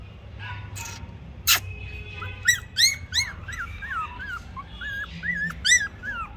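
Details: Toy Pomeranian puppies whimpering: high, thin, arched whines repeated quickly, about three per second, with a few sharp clicks and a low background hum.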